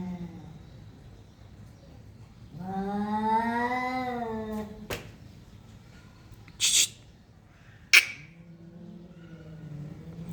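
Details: Cats in a standoff: one long, low, wavering yowl that swells then fades, followed by a few sharp knocks and a quieter, low drawn-out moan.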